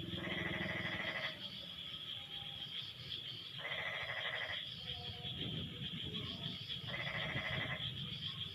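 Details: After rain, frogs call in turns: three nasal, pulsed croaks, each roughly a second long and spaced a few seconds apart, rise over a steady high-pitched drone with softer murmuring in between.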